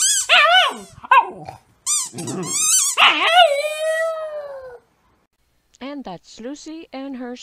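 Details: Dog-sat rescue dog indoors with a squeaky toy, giving wolf-like howls: choppy yelping notes leading into a sustained, slowly falling howl, then short wavering calls.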